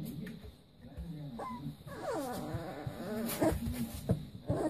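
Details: Leonberger puppies at play give soft, wavering whimpers, a run of harmonic rising-and-falling whines in the middle, with scuffling and bumps of movement underneath.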